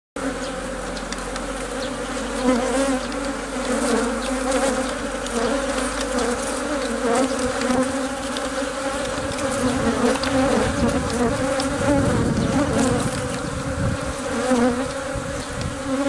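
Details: Honey bees inside a hive, where the queen lays eggs while workers protect and feed her; a dense, steady droning hum with two strong low tones, swelling and softening slightly, plus faint crackling movement throughout.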